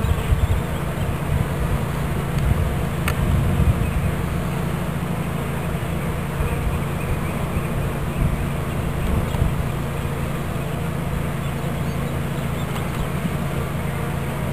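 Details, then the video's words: Bees from a swarm being placed into a new hive body in Watkinsville, Georgia: a constant, deep droning buzz of the crowded swarm, with one sharp click early on. "Bee Swarm Capture"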